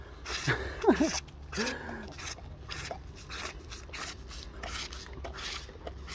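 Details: Tigers licking cream make repeated dry, rasping scrapes with their rough tongues.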